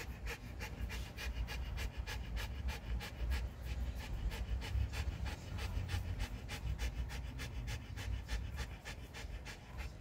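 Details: Jindo dog named Bi-nu, exhausted and sprawled out after a walk, panting rapidly and steadily indoors, quick breathy puffs repeated about three times per second throughout, soft low room rumble underneath.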